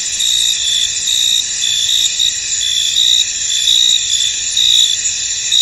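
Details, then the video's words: Field crickets in mist produce an even, shrill stridulating drone, marked by repeated louder chirp pulses a little more than once per second, with nothing else audible beneath. "Tranquil Cricket Sounds In An Misty Field"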